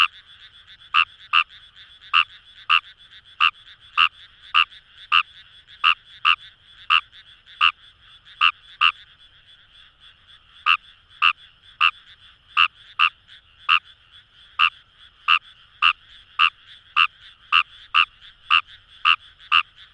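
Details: Wild Fejervarya kawamurai in rice paddies by the Kamo River in Itoshima, Fukuoka: brisk clicking croaks in quick irregular series, around thirty-five in twenty seconds, with a faint continuous frog chorus humming behind.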